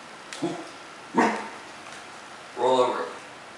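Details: A Cocker Spaniel that knows tricks talks back in three short, moaning, voiced grumbles instead of obeying a repeated "roll over" command.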